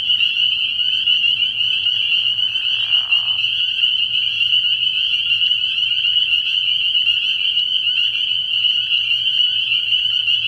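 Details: Spring peepers calling from a frog pond at night early in the year: a dense, unbroken chorus of high, shrill peeps, with a brief lower rasping burst near the third second.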